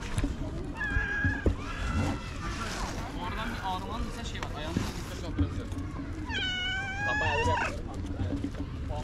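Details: A stray cat behaving like a tiny baby makes several short, wavering meows early on, then a long, strong, quavering meow that rises and falls, with low outdoor rumble and scattered knocks throughout.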